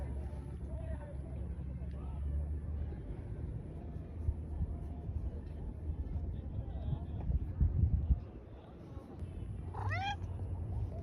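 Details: A cat at dusk gives a single brief meow near the end, a bending harmonic cry over a steady low rumble and background murmur. A fainter mew may come near the start.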